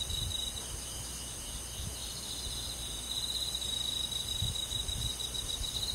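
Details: Crickets singing on a summer night in a rural forest setting, a clean, unbroken high-pitched trilling chorus with fine rapid pulses in stacked bands and only faint low background noise.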